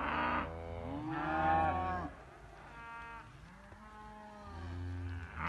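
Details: Young Simmental cattle giving quieter, lower moos, a few harmonic bellows that rise and fall, with a softer stretch of lowing in the middle.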